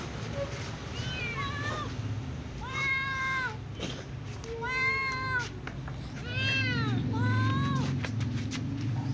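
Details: A little ginger cat and a young white cat meowing before eating alongside other cats; several harmonic, arched meows, some rising then falling, repeated every second or two over a low steady hum.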